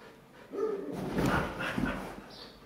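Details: Pet Siberian Huskies playing on a couch at home give a short tonal yelp, then a louder rough, noisy growl-like burst, with shuffling movement around it.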